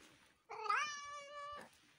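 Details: Feral cat being fed its favourite chicken bones, giving a single drawn-out meow of about one second, rising slightly at the start then holding steady, with faint background rustling.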